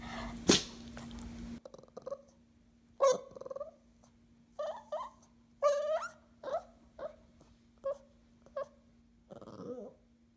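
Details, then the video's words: Dog uttering about ten short yelping whines and squeaks at uneven intervals, some with upward pitch sweeps, after a brief burst of handling noise; faint hum in the background. "Funny Dog Sounds"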